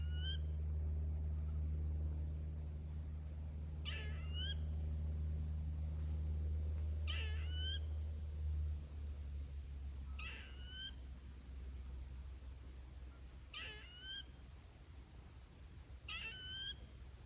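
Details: Squirrel making a screeching noise: six short harsh bursts with a rising whistled tail, spaced about every three seconds, over a steady high electrical whine and low hum.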